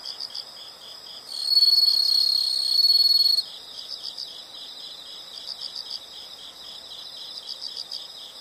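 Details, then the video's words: Nature sound of insects for relaxation: one strong, steady high trill of about two seconds rising out of a quieter bed of rapid pulsed chirping that keeps going throughout. "the sound of insects"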